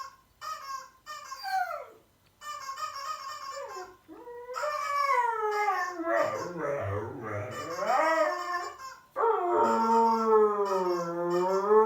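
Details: Siberian Husky howling in reaction to an annoying sound: a few short broken yelps and wavering notes, then long sliding howls that rise and fall in pitch, the last one sustained and wavering.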